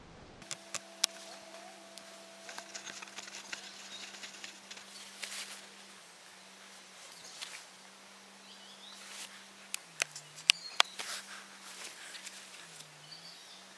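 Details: Bumblebee, genus Bombus, kicking away a curious fly: a steady low hum that holds level, then dips and wavers in pitch, with faint overtones, sprinkled with sharp clicks and rustling taps.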